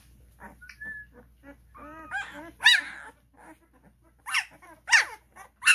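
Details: Cane Corso puppies, 12 days old, at a kennel, trying to crawl out of the welcome room; scattered soft whimpers build to a few louder high squeals near the end, with quiet pauses between.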